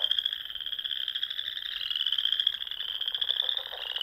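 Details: Spring frog chorus from a pond in Nebraska's Sandhills at dusk, a steady unbroken wall of high trilling with faint lower rattling notes running beneath, no pauses across the stretch.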